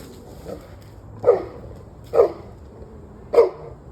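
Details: Dog barking on and off through a November evening: three spaced, sharp single barks about one second apart over faint background noise.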